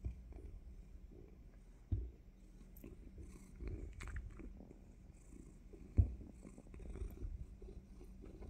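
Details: Pet cat purring before a surprise bite, a faint low rumble broken by sharp clicks and a loud knock near the end, with chewing-like rustles.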